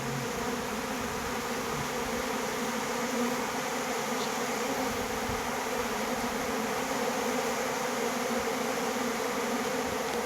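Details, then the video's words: Mass of bees fighting one another over water, steady dense droning hum with layered low tones, unbroken throughout and without clear gaps. "ទ័ពឃ្មុំ ប្រយុទ្ធគ្នាដណ្ដើមទឹក"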